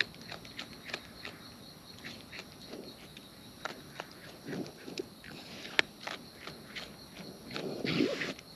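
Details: Close-range recording of wild raccoons feeding: a fairly steady run of crisp crunching clicks, about one every half second, with a few louder rustling bursts near the end.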